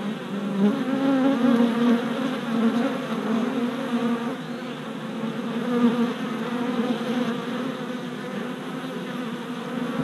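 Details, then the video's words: Orientation flights of worker honey bees at the entrance of a new hive body, four days after the package installation on 27 April 2017; a loud, even swarm drone with a strong low hum, slightly louder early on. "Honey Bee Orientation at Hive"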